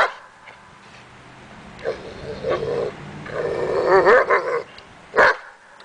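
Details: Daja, a dog on the agitation table for confidence training, makes a low drawn-out growling, whining vocalisation with wavering tones, ending in a single sharp bark.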